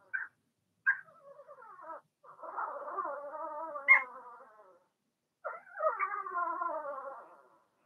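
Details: Blenheim Cavalier King Charles Spaniel puppies from Remy's first litter of six, born March 7–8, in an indoor puppy pen. Drawn-out wavering whines with rich harmonics come in two long bouts, opened by short yelps, with silent gaps between.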